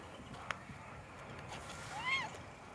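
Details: Stray red cat strolling in a tropical park, sunny January 2023, makes a brief arched meow near the end after a couple of sharp clicks and soft outdoor noise.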